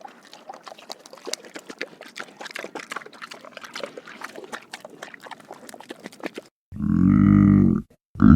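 A pig slurps and laps water in a rapid wet clicking patter, then gives a loud, deep grunt.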